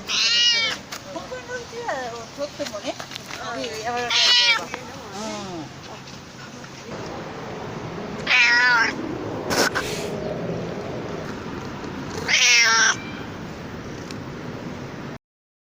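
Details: Stray cat chattering in a run of wavering, warbling meows, some quick and broken, others long and loud, with gaps of several seconds and soft background noise before the sound cuts off.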